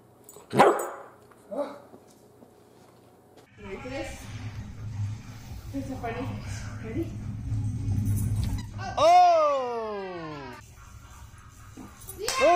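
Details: Great Pyrenees puppy Biscotti, a female almost three months old, kept as a family pet, gives a drawn-out falling whine near the end, layered with descending harmonics, after a sharp knock early on; a person's voice and low room rumble run through the middle.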